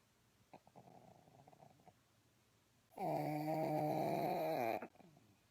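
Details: Snoring pug: quiet, wheezy snuffles at first, then a sudden loud, drawn-out, harsh snore with a throaty, vibrating buzz lasting nearly two seconds, followed by faint breathing.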